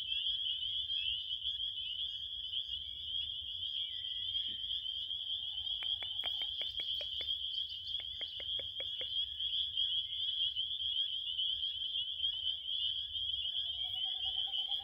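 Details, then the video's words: A continuous high-pitched cricket trill runs throughout. Midway a quick series of sharp ticking clicks cuts across it, and a soft low hum sits beneath the chorus. "7 minutes of relaxing crickets"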